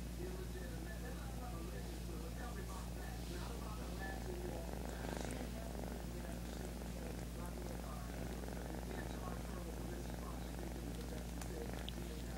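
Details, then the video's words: Low, continuous purring from a kitten, an even rumbling drone held for the whole stretch, with light rustling and faint speech in the background. "Purring Kitten"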